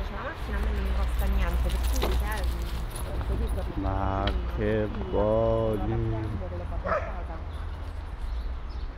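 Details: Afghan Hound in a park dog area, playing with another dog: a few drawn-out, tonal whines rise and fall near the middle, mixed with a woman's Italian speech, jangling and outdoor background noise.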